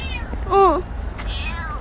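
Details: Stray kitten named Petit gives a single short meow, rising then falling in a smooth arch with clear harmonics, followed by a fainter second mew; low traffic rumble underneath and a person calling softly nearby.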